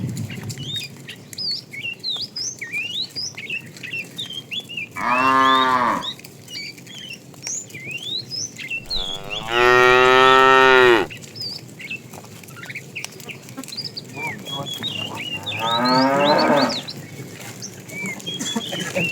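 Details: Tame cows in a herd wandering far in search of food, lowing three times, at about five, ten and sixteen seconds; each moo is a long, loud, harmonic bellow, with many small birds chirping throughout.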